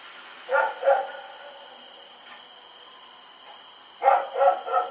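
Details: At night on October 7, 2018, Rex the dog runs around barking in Pyrga: a quick pair of sharp barks, a lull, then three more barks in rapid succession, over a constant high electrical-sounding whine.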